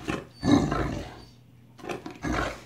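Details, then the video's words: Great Dane, very vocal, begging for a bite of a sandwich indoors: deep, rough, roaring groans in two bursts with a short pause between, a person's short speech nearby. "Very Vocal Great Dane Would Like to Share That Sandwich"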